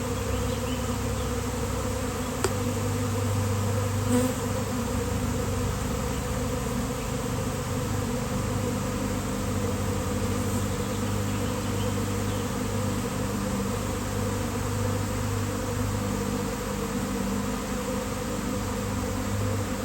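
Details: Honeybee swarm appearing out of nowhere and settling on a basketball hoop in fine weather: continuous thick buzzing drone, even in loudness, with a faint click early on.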